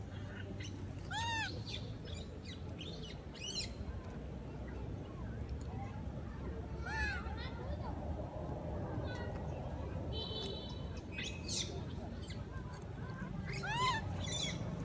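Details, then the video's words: A lost baby monkey cries for its mother, who stays at the top of a tree until she comes down. Rising-and-falling whistled cries with bright overtones recur every few seconds, with a steady buzzy tone midway and a constant low rumble beneath. "Poor Pity Monkey Baby Calling His Mom"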